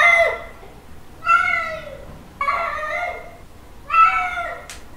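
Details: Male cat calling to a female: three long, drawn-out yowls that swell and then trail off, about a second apart, followed by a short sharp click at the end.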